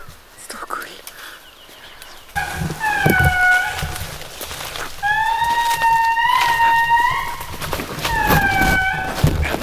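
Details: Lemurs in a small park near a lodge in Madagascar, filmed on a Sony ZV1 camera; after quiet talk and whispering, three long, clear, wailing tonal calls with bright overtones, held level then rising slightly, each lasting one to two seconds.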